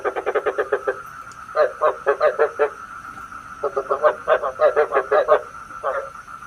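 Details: Frog calls used as a decoy for trapping frogs at night: rapid runs of harsh, pulsed croaks in quick rhythmic bursts, with brief pauses between runs and a constant electronic hum behind.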